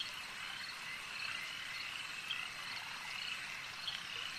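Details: Steady chorus of frogs by a lake, continuous high trilled croaks overlapping, with a couple of brief louder chirps near the middle and end.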